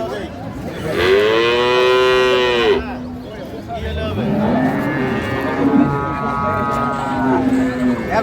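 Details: Improved-breed dairy cattle with calves at Ambari cattle market, 2/3/25: one long, slightly arching moo near two seconds, followed by quieter drawn-out lows mixed with traders' voices and crowd noise.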